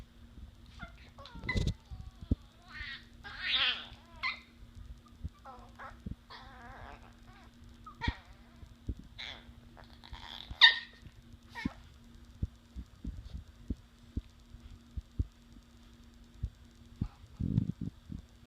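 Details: Two young Chihuahua puppies playing trade high, squeaky yips and nasal whines, broken by short rough growls and scuffling thumps, in scattered, irregular spurts over a low steady hum.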